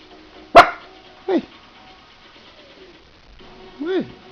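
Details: Teddy the pet dog gives a single sharp, loud bark, followed by a person's questioning speech rising and falling in the quiet between.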